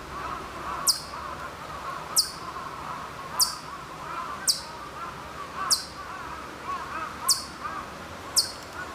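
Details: Hokkaido chipmunk at Maruyama, Sapporo, Hokkaido, in September 2014, calling from quite far off: sharp, very high chip notes repeated about every one and a quarter seconds over a steady background hum of outdoor noise.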